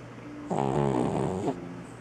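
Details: Three-legged shop cat asleep, giving one harmonic-rich snoring breath lasting about a second over a steady low hum.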